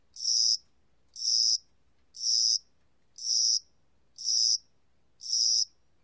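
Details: Six high, buzzy cricket chirps, each roughly half a second long, sounded once per second in a steady rhythm; a cricket of spring and summer, with no other sounds.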